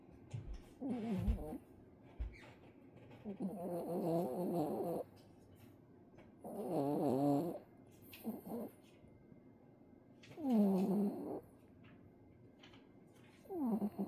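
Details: Dog sleeping soundly indoors, snoring in rough, throaty bursts of about a second each. The bursts come roughly every three seconds, each with a wavering nasal tone, and quiet pauses fall between the breaths.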